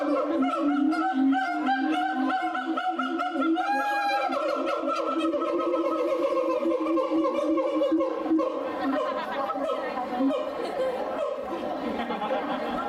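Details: Siamang at Tennoji Zoo in Osaka, Japan, on 2 May 2022: a dense chorus of wavering hoots and chattering notes that slide gently downward, then continue as a rough, sustained calling.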